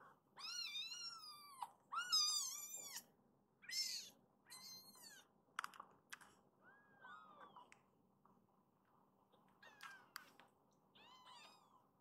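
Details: Rescued baby kittens in foster care crying indoors: a run of high, wavering mews, several in quick succession over the first four seconds, then shorter scattered cries, with a quiet room behind.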